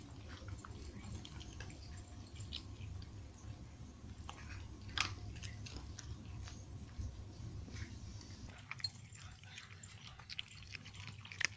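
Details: Nine cats in Portugal crunching dry food at breakfast and snack time; soft, irregular crackles and clicks with a few sharper snaps near the middle and end, over a steady low indoor hum.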